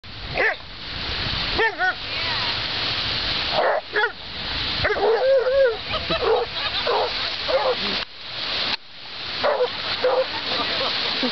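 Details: Moe, a beagle at a dog beach who loves his sticks but dislikes the water, gives a string of short, tonal baying barks in bursts, some rising and falling, with people talking and outdoor noise throughout.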